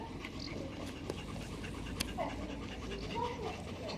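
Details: Black German Shepherd lying and relaxing in hot sun, over 40 degrees of heat, with Luna among the dogs; steady soft breathy panting under a hissing background, a few faint tonal chirps and a sharp click near the middle.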